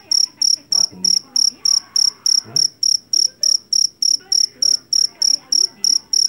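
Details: Rice-field jangkrik Jawa, a field cricket famed for its shrill voice, repeats clear high-pitched chirps at a brisk, even pace of about three per second, against quiet background murmurs.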